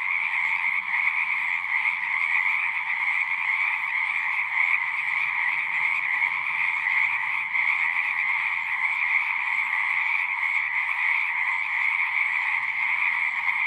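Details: Frogs calling at a pond in a horse pasture, a dense continuous chorus of many overlapping trilling voices forming steady bands of sound, with no pauses or gaps, and no other clear sounds.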